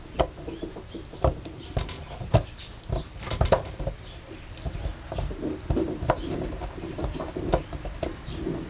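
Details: Chewing gum, a Basset Hound makes sharp separate snaps and smacking mouth sounds spaced a second or so apart, with quieter gummy squelches between them.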